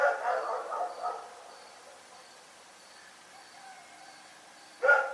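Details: Rex the dog barking at night: a short run of harsh, harmonic barks at the start, a long quiet gap, then one sudden loud bark near the end. A faint high tone pulses steadily in the background.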